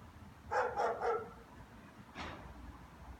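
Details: German Shepherds barking: a quick run of three loud, harsh barks, then a pause and one more bark about a second later, over a low background rumble.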